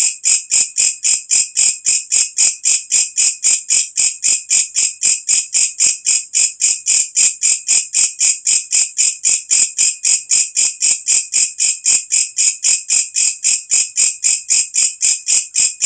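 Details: Loud nocturnal call of the walang kecek katydid, recorded as natural tutor sound for birds: a long, relentless train of high, rasping chirps at roughly four per second, very even in spacing and volume.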